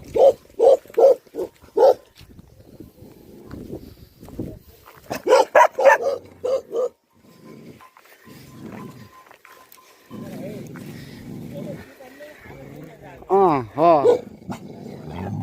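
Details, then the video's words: Livestock guardian dogs at a buffalo shed bark in quick runs of four to five barks, pause, bark again, then other farm animal noises and rumbling take over, with a brief wavering cry near the end. "Guardian Dogs Peotecting Buffalo Shed"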